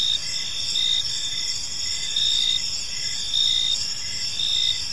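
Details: Evening park crickets chirping in overlapping high-pitched trains, short pulses recurring roughly every second over a low rushing background hiss.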